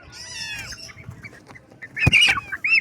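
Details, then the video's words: Baby kittens in the morning: one high, wavering kitten meow opens, followed by quiet, then a sharp knock and brief bird-like chirps near the end. "Unbelievable! Kitten Meows vs. Unexpected Sounds"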